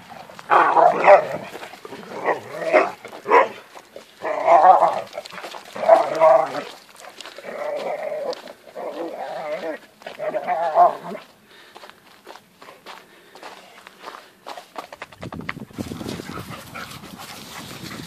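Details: Hungarian Vizslas, a pair of family pet pointers kept since puppies, vocalizing while playing: bursts of short, harsh barks and yelps in quick irregular runs for about eleven seconds, then quieter rustling and a broad noisy rush near the end.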